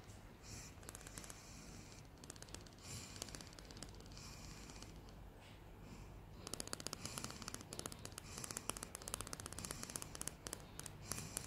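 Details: Happy female greyhound Salty chattering her teeth indoors. Scattered soft clicks and rustles at first, then a denser burst of rapid tapping teeth from the middle onward.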